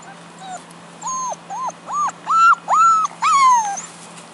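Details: Lurcher puppy, one of a Greyhound and Deerhound cross litter born May 15, 2010 in Houston, Texas, playing with its Scottish Deerhound dam; a run of high, arched whimpering squeals, about eight in four seconds, rising and growing louder.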